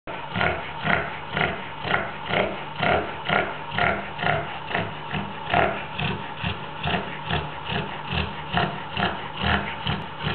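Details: A pregnant Labrador Retriever snoring in sleep, a steady train of breathy, rasping pulses, roughly two each second, with a low rumbling undertone throughout.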